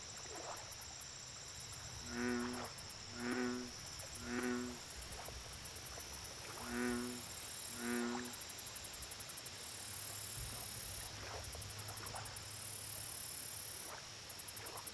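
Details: Deep, twangy American bullfrog notes at a lake: three evenly spaced booming pulses, a short pause, then two more, followed by quieter stretches filled with a persistent shrill insect drone and rhythmic high ticking.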